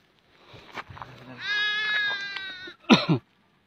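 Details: Young goat stuck in a split in the earth, found by hunters and rescued; quiet rustling, then one clear, slightly quavering bleat lasting over a second, followed by a sharp clattering noise.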